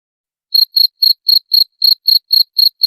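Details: Cricket chirps for scaring off rats: after half a second of quiet, ten short, piercing chirps follow quickly, evenly spaced about a quarter second apart, with nothing else audible.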